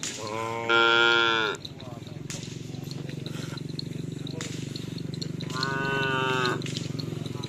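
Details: Cattle at karapan sapi bull race training in Pamekasan, Madura, including champion bulls from Sapudi Island; two drawn-out harmonic moos with a steady low engine-like hum and faint crowd voices between them.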